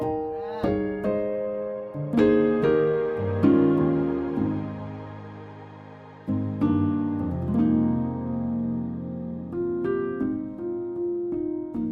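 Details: Gentle electric piano music with sustained chords and a simple melody, no animal voice.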